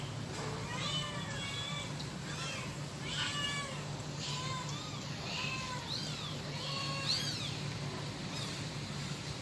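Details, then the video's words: Kitten calling its mother: repeated high, arched meows, several overlapping, at roughly one-second intervals throughout, over a steady low hum. "the kitten calling its mother.lucu habis suara anak kucing manggil induknya"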